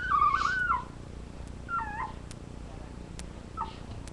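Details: Labrador retriever puppies on a live puppy cam, giving three thin, squeaky whimpers. The first is longest and wavering, the later two are short and fainter, with quiet room noise between them.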